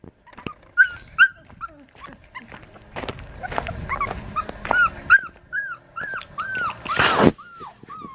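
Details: A black tri female Australian Shepherd pup from Henryetta and Dublin's litter, raised at Fifteen Acre Farms in Oklahoma, lets out a run of short arched whines and yips, each rising then falling, with scattered clicks and thumps between them.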